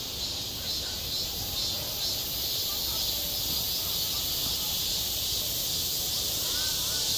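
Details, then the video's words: Midsummer cicadas over a schoolyard: their shrill buzzing swells slightly at the start and then stays level, with a faint chirp near the end and soft low rumble below. "한 여름 운동장에서 매미가 울고 있다 - 여름의 소리, 학교 종소리, 매미 울음소리"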